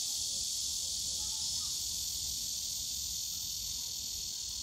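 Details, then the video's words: Summer cicada chorus from a bamboo grove in Yongsan Family Park, a continuous shrill hiss-like buzz sustained without pause across the whole stretch, low park hum underneath. "용산가족공원 대나무숲 매미소리"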